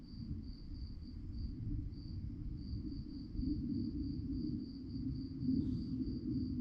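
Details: Night-time crickets chirping in an even train of high, thin pulses repeated several times a second, with a few short gaps, above a loud deep rumbling background.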